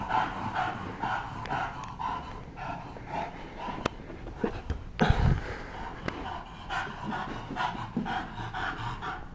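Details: Bulldog playing in a basement, heavy rhythmic panting breaths throughout with a few sharp knocks and one louder thump midway, low room noise underneath.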